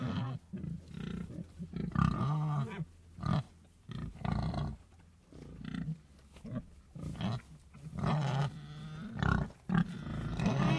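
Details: Pigs grunting in a run of short, deep, harmonic bursts. Some calls rise and fall slightly, separated by brief pauses and occasional quieter snuffling noises.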